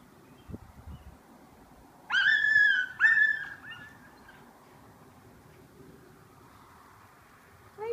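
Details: Alaskan malamute going crazy when its owner goes skateboarding without him; two loud, harmonic, whining howls about half a second each come a second apart after quiet rustling, and a brief rising call closes the recording.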